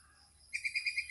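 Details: Squirrel around Chapraishirhat: after a quiet start, six piercing high chirps repeat evenly about every tenth of a second.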